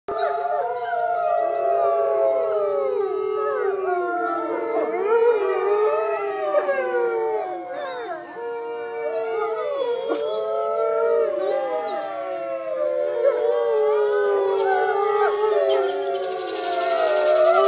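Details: A pack of wolves at a wildlife refuge in Lockport, Illinois, howls in chorus, with long, mournful, wavering tones overlapping and sliding up and down in pitch with barely a pause.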